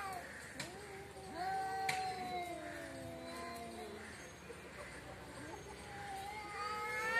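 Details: Quieter exchange between quarrelling cats in front of a house: thin, wavering moans sliding down in pitch, partly overlapping, with faint background noise.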